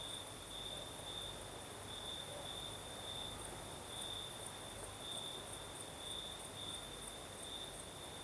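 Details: Crimean crickets at night in the south, breeze in the background: an unbroken high, ringing trill with gentle rhythmic surges roughly once a second, layered over a hissing wash of wind and a distant higher shimmer.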